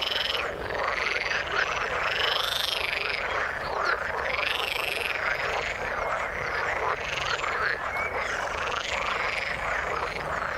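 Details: Many frogs croaking in the water, a thick wall of pulsed, grating calls with arching whistle-like notes riding above, unbroken for the whole stretch.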